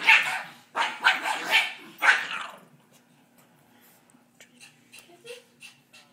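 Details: Female Pekingese playing rough and going crazy when picked on: three harsh, noisy, raspy bursts within the first two and a half seconds, then near quiet with faint scattered ticks.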